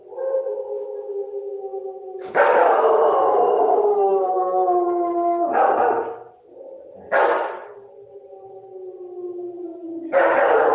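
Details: German Shepherd howling: a long, harmonic-rich howl that slowly slides downward over about three seconds, followed by shorter, rougher howl bursts near the fifth, seventh and tenth seconds.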